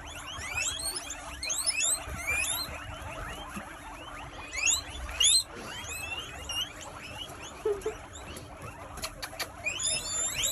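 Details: A chorus of 80 guinea pigs in their enclosure in the United Kingdom, wheeking and squeaking at once. Dense, continuous, overlapping upward-sweeping squeals and high whistles, with a few louder bursts and clicking rattles, over a faint constant hum.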